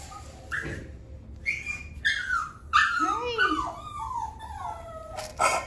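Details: Three-year-old black and white male Chihuahua whimpering: thin, high whining notes that rise and fall and bend downward, a few short yips breaking in, over a quiet background hum.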